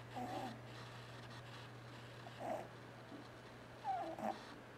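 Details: Domestic cat asleep indoors and snoring, twitching while dreaming; soft, raspy breath bursts with a hoarse tonal edge come at irregular intervals, two louder ones near the end, over a steady low electrical hum.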